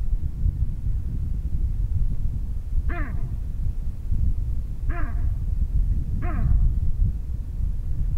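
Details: Baboon sitting on grass and calling out: three brief, rich barks with a falling pitch, about one and a half to two seconds apart, heard against constant low-pitched wind noise.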